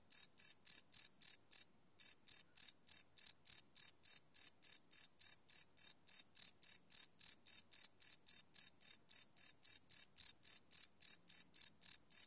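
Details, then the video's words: Live night recording of crickets on a Sony PCM D100 field recorder: rapid shrill chirp pulses, about three and a half a second, pausing briefly near the two-second mark before resuming the same even rhythm; no other sounds. "Cricket Chirp Sound - Cricket Sounds at Night"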